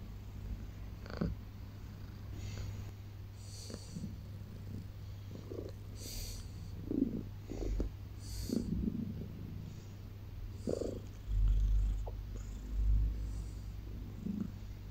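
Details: Pet cat purring loudly on a blanket after waking in the early morning: a steady low continuous rumbling purr throughout, with soft scattered rustles and clicks above it.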